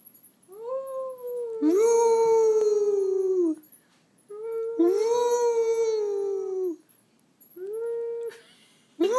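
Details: Pet dogs Gracie and Lilly howl indoors, joining a person's howling after whimpering and whining. Three long, steady, mournful howls, each a few seconds with a slight rise then sag in pitch. Short quiet gaps separate them.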